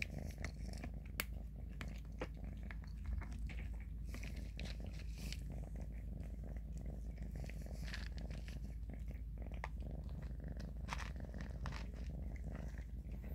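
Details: Unbroken low purr from kittens while Grayie feeds and Shoey grooms him by licking, with scattered sharp clicks and smacking sounds on top.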